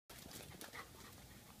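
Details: Female pet Chow Chow, described as wild and crazy, breathing in quick, harsh, breathy bursts that sound like steady rapid panting for about a second and a half, with no other clear sounds.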